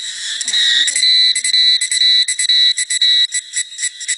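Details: Forest cicada chorus on a sultry summer afternoon at Jinlongshan in Nantou, recorded 28 May 2016. A high, harsh buzz pulses on and off in quick bursts, roughly twice a second, with a faint low sound at the start.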